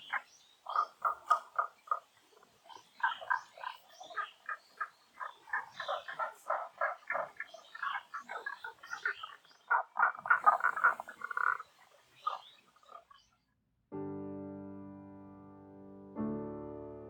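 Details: Frogs croaking at Honen-in temple, Kyoto, Japan, in cherry blossom time; quick, rattling clucks tumble in overlapping runs for about thirteen seconds, then soft piano music enters.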